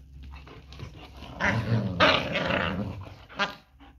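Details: German Shepherd dogs growling while fighting during mating and breeding, rough low snarling growls that build and swell around the middle, with a sharper burst near the end, heard indoors in a small room.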